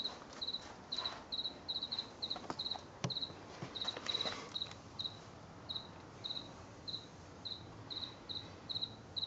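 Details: On a late September 2022 night, a house cricket chirps in a garden. Its shrill, high chirps come in loose groups, then spaced out, with faint clicks and rustling behind them.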